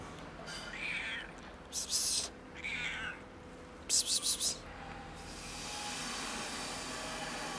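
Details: Fluffy female kitten being petted after nearly scratching: two soft, wavering meows about two seconds apart, between bursts of a person's sharp 'psst' calls, then a steady hiss of background noise.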